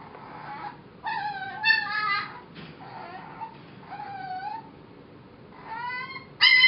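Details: Foster puppy Mo, later named Molly, a female said to be six weeks old or younger, singing: short wavering howls and whimpers with bright harmonics, bursts of about half a second to a second separated by pauses.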